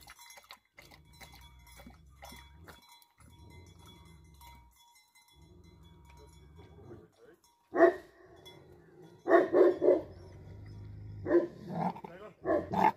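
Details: Tibetan Mastiff, known in Nepal as Bhote Kukur, a livestock guardian dog in Nepal: a steady low hum fills the first seven seconds, then loud, deep barks burst out singly and in short clusters toward the end.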